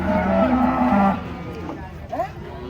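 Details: A giant cow coming off a truck gives a short, low, stepped moo lasting about a second, followed by quieter background noise and a faint higher call.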